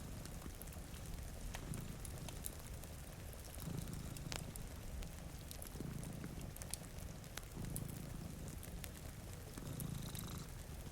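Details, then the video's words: Two cats sleep by a rain-streaked window while a deep, rumbling purr rises and falls in five breath cycles about every two seconds, with fire crackles popping overhead and gentle rainfall. "Purring Cat"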